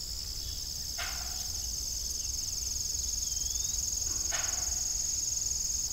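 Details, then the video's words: Crickets chirping in the evening beside an old farm windmill, a steady high pulsing chorus throughout, broken by two brief broadband knocks and one faint rising whistle. "Evening Cricket Sound"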